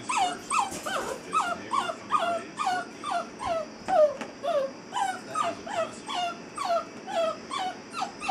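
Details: An eight-week-old Basset Hound puppy, female, in a crate for the first time, gives an unbroken, plaintive run of short, high-pitched wails, each sliding downward, about twice a second.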